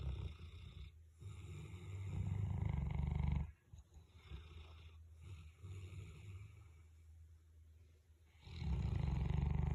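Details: Two sleeping dogs, including a big Boerboel, snoring together: heavy, deep rattling snores broken by short silent pauses, with softer wheezy breaths between and a loud snore resuming at the end.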